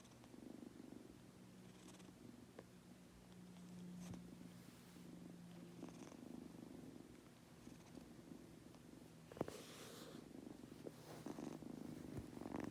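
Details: Munchkin kitten named Goku drifting off to sleep, giving a continuous low purr with a soft hum underneath, broken by a few quiet clicks and a louder breathy rush near nine seconds.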